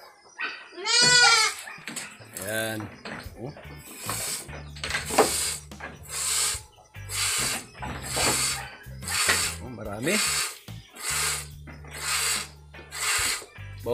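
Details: Anglo-Nubian goat bleats once, a short quavering cry, at milking time on a goat farm. Afterwards come steady rhythmic hissing bursts about once a second over low humming tones and background clatter.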